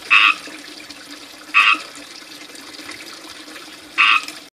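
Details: Chirping frogs in a small backyard fishpond ringed with ivy, beside a splashing fountain; three loud, brief chirps spaced about one and a half to two and a half seconds apart over continuous running water.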